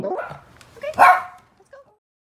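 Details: Shih Tzu, one of two senior dogs named ZaiZai and MoMo, playing in the snow on a rare white Christmas in Vancouver in record-low cold. A single sharp bark rings out mid-clip after soft voice-like sounds, then a brief faint yip.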